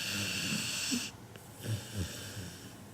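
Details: Kinako, a seven-month-old Labrador Retriever puppy, asleep indoors and snoring as loudly as a person, like an old man; low rough snorts come in uneven pulses after an opening stretch of broad hiss.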